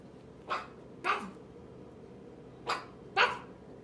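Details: Eight-week-old merle toy Chihuahua puppy barking back, its whole body shaking; four short, sharp yips spaced irregularly over a few seconds against a quiet indoor background.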